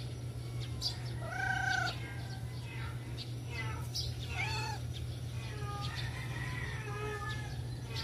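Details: Being fed, stray cats let out a clear drawn-out meow, then a second bent meow a few seconds later and fainter overlapping mews, set against a heavy low hum and background murmur.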